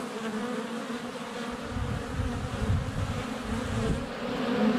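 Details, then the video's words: Honey bees in flight at a hive entrance on a sunny February day, filmed up close with a GoPro Hero 7 Black; a dense, steady low buzzing hum with overlapping wingbeat drones swelling louder toward the end. "Honey Bees - ambient video and audio"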